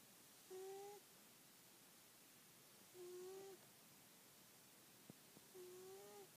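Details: Sleeping pet cat snoring indoors: soft whistled, steady-pitched tones lasting about half a second, one per breath roughly every two and a half seconds, three in all, with faint small clicks between in a quiet room.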